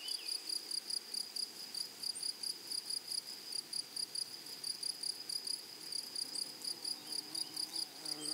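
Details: Grasshoppers in a flowering meadow trill in a high, metallic buzz. It is chopped into fast, regular pulses, several each second, and holds an even pulse throughout.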